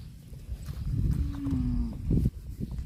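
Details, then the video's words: Cattle eating grass give a low drawn-out moo lasting about a second, a steady tone that dips slightly, over rustling and chewing noises and brief knocks. "CUTE AND FUNNY COW SOUND EATING GRASS COMPILATION - COW MOOING"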